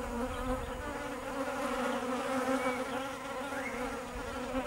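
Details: Continuous hum of many bees, a rich buzzing drone with steady overtones and faint higher whines from passing insects.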